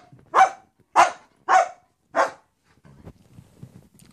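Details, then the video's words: Wisky, a German Shepherd, begging for his toy with four loud, sharp barks about 0.6 seconds apart, followed by quiet indoor rustling. "Wisky begging for his toy"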